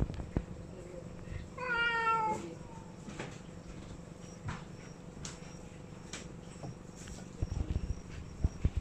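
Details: A cat gives one clear falling meow near the start, followed by quiet room noise, faint clicks and rustling.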